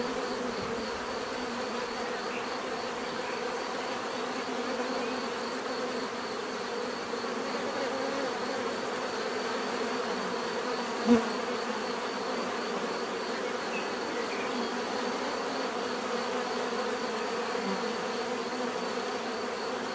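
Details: Steady swarm-like buzzing of bees, an even droning hum held throughout, broken once midway by a short sharp click.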